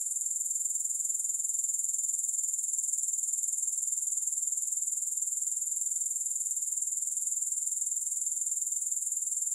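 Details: Grasshoppers chirring steadily in a long recording with no music: a shrill, high-pitched trill pulsing about four times per second, unbroken throughout, with no other sounds.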